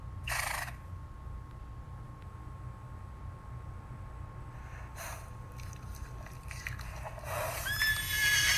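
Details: Horse giving a few short, breathy snort-like bursts spaced seconds apart, then breaking into a rising, shrill whinny at the end, with a faint constant background hum.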